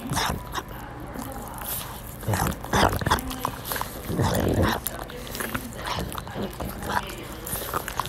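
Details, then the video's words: Pug heard up close in a soft-sounds recording: wet snuffling, lip-smacking clicks and breathy snorts, with louder bursts of snorting near the third second and again around the fourth to fifth seconds, over a low rumbling background. "Pug ASMR Soft Sounds"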